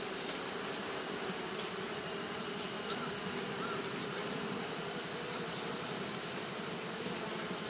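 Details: On a hot day, Japanese honey bees keep up fanning behaviour, producing a continuous dense buzz, low humming bands beneath a strong high-pitched hiss, level and unbroken.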